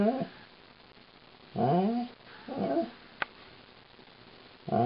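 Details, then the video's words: Female Alaskan Malamute vocalizing to her owners while being brushed, a woeful song: short low moaning howl-like bursts with harmonics, separated by pauses, in a small indoor room. "My Funny Malamute - "Lightning" Sings the Brushin' Me Blues"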